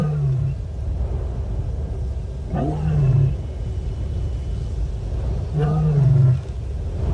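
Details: Moaning of a female lion searching for contact with other lions, Nkorho Bush Lodge live camera, 30 September 2021: two drawn-out deep moans, each opening with a brief rising overtone, spaced about three seconds apart above a low background rumble.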